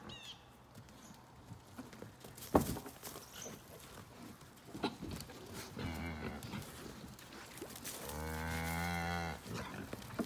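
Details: Young Highland calf during a first meeting with a Basset Hound. Rustling and scattered knocks lead into one loud, steady, low bellowing moo lasting over a second near the end.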